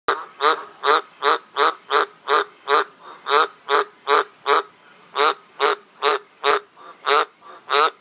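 A frog gives short, raspy croaks in a steady run, about two or three each second.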